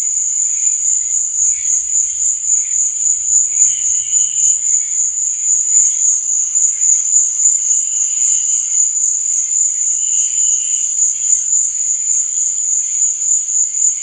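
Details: A nighttime cricket chorus: a steady, sharp, high trill without pause, overlaid by scattered softer chirps and a few brief lower bursts mid-clip.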